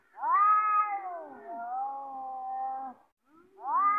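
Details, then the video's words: Threatening caterwaul from cats about to fight, a long sustained moaning howl with rich harmonics lasting nearly three seconds, dipping slightly mid-call, a short pause, then a fresh rising yowl. "Cats are Fighting || Cats are Taking|| Cats are ready to Fight"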